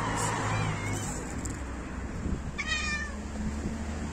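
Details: Male cats fighting each other over females: one short, harmonic, slightly falling yowl near the middle of the clip, set against a steady low rumble throughout.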